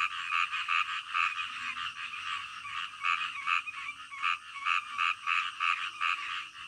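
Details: Frogs in a nighttime chorus, bursts of croaks beating in quick succession with slight swells and dips in loudness, a continuous layered pulsing of several callers.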